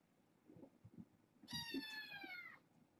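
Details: One kitten from a bedtime litter of four girls and two boys calls indoors with a single clear meow lasting about a second, its tone gently sliding downward, preceded by soft rustling.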